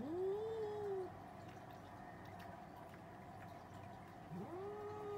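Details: Cats arguing, with two separate rising-then-level yowls about four seconds apart, each whining and nasal, over a steady low hum.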